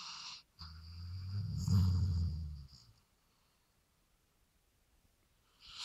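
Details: A sawmill dog "talks" after being given three beers: one low, rough, drawn-out grumble with a buzzing, snore-like texture lasts about two seconds, then quiet follows. A faint high whine sits in the background.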